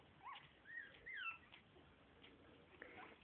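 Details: Pit Bull and Lhasa Apso mix puppies, a new litter of two boys and two girls, give a few short, high whimpering squeals. The squeals curve up then down, cluster in the first 1.5 seconds, and then fade to faint squeaks.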